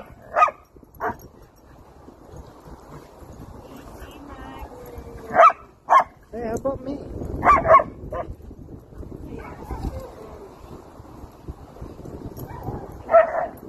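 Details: Happy German Shepherd meeting friends at a playground, giving a few short, sharp barks spaced irregularly over several seconds, with quieter yips between and faint human voices and outdoor background noise.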